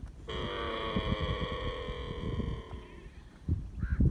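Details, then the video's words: Camel calf drinking milk from its mother in the desert gives one long, steady, nasal moan lasting nearly three seconds, followed by a brief faint call and thumping handling noises at the end. "طفل الجمل يشرب الحليب 🥛 | صوت طفل الجمل"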